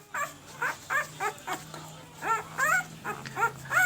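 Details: One-week-old Pembroke Welsh Corgi puppies, a red/sable litter born in April 2020, give short rising-falling whimpers and squeaks about once a second, with overlapping cries; a woman talks quietly about markings nearby, steady low hum underneath.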